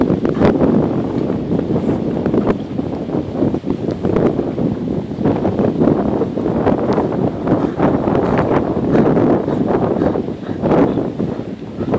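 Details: Loud, gusty wind buffets the microphone outdoors at the water's edge, with rustling and no animal calls.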